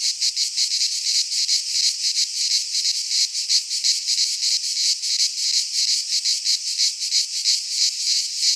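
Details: Greek pine forest cicadas in midsummer give a strident, high-pitched drone, rhythmically throbbing several times a second, steady from start to finish without other noises.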